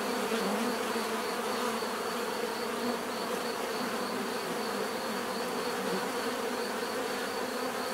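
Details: Many bees drone together in an even, unbroken buzz, thick and full across low and middle tones, with a faint high whine above.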